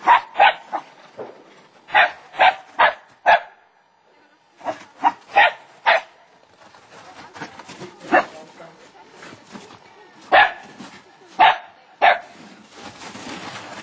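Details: A Welsh Terrier and a Lakeland Terrier playing wildly together, barking in rapid yapping runs of several sharp barks, a brief lull, then more scattered barks, with a man speaking Norwegian near the end.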